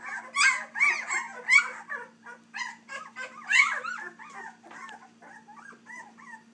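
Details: Litter of three-week-old Dixie x Colby puppies crying in rapid, bent, squeaky whimpers, loud at first then trailing off into softer, thinner squeaks over a constant low electrical hum.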